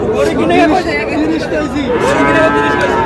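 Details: Sahiwal bull calves for sale at a Bangladeshi market in Noakhali, 18 June. Brief wavering moos overlap, then a fuller bellow swells in the second half, with crowd talk throughout.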